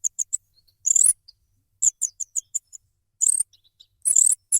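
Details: Rat squeaking in sharp, very high chirps, some single and some in clusters, broken by three brief louder rasping bursts; otherwise silent background.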